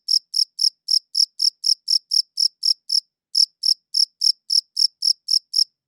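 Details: Cricket chirping, recorded with a good audio recorder: short, shrill pulses about four per second, with one clear pause near the middle before the rhythm resumes; nothing else audible.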